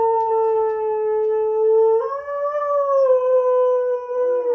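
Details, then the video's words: Sasha, a Husky-Malamute, howls in displeasure while Kat the Husky and Paco the Doberman play indoors; one long tonal note holds steady, steps up in pitch halfway, then sags slowly, with a brief lower voice joining at the end. "Husky, Malsky, and Doby Play and Sing"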